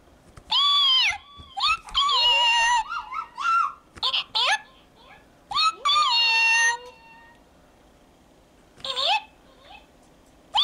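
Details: Domestic cat meowing indoors in a small room: several drawn-out, harmonic meows with rising-then-falling pitch, some short and clipped, separated by quiet gaps; a faint child's voice may be present.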